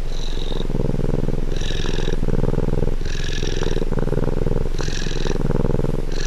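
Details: Cat purring, recorded up close: a continuous low rumbling purr with rapid pulses. Brighter breathy bursts recur about every one and a half seconds, giving the purr a gentle cyclic rhythm.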